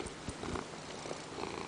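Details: Peanert, a pet Ragdoll cat settling on a lap and demanding to be petted indoors, gives a continuous low buzzing purr, even and unbroken, with faint handling rustle in the background.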